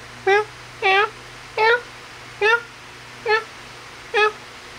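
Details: Kittens during play and feeding indoors give short harmonic meows, six calls spaced roughly every 0.7 to 0.9 seconds, each a brief rising-falling mew with a steady low hum underneath.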